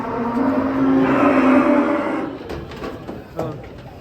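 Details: Masked cattle, agitated while being unloaded from a truck, give a long, low, steady moo lasting nearly two seconds, followed by clattering knocks and handling noise.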